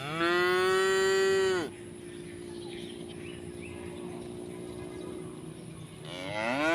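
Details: ['Tame cows calling to one another to eat while grazing in village rice fields: one long, steady moo of under two seconds, then a quiet pause with faint rural ambience before a second moo begins to rise.']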